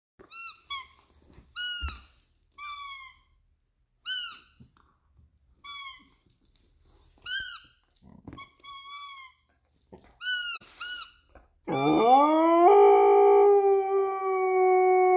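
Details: A Lapponian Herder (title also says husky) gives a long rising howl with its favourite toy, after a run of high, repeated squeaks from the toy.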